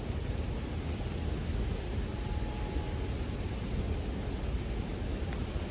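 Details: Bell crickets sing a steady, high, ringing trill that runs unbroken through the whole stretch, set against a soft bonfire with a low rumble and only a faint crackle.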